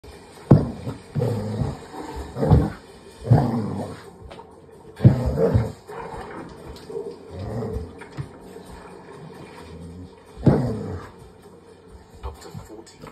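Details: Barney, a border collie, reacts while watching bears catch salmon on television. Low, rumbling growl-like bursts come every two to three seconds, with faint TV narration and music underneath.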